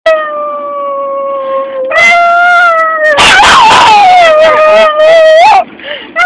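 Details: Half-pug, half-Boston terrier dog howling like a wolf for no apparent reason: long sustained tonal howls, steady at first, then louder and wavering with a raspy, noisy stretch in the middle before easing back.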